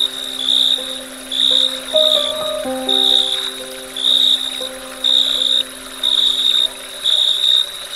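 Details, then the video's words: Dusk cricket chorus of shrill, high buzzing chirp trains, about one burst per second, steady and rhythmic, while gentle background music plays drawn-out tones, briefly shifting chords in the middle. "Dusk Crickets Chirping Sound"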